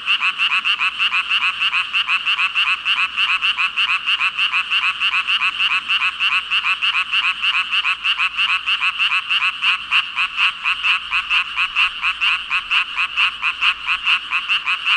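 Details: Thousands of frogs in full chorus, an unbroken roar of rapid pulsed croaks over fifteen seconds, beats packed tightly and overlapping, loudness steady with only slight swells.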